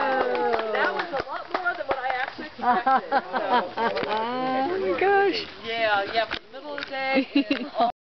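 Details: Several gray wolves at the Colorado Wolf and Wildlife Center howl together in a chorus of wavering, overlapping tones mixed with short yips and yelps.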